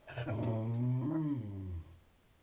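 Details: Conker, a pet terrier, talks indoors to ask for attention: a low, drawn-out growly moan with a rising then falling pitch, lasting under two seconds, in a small room.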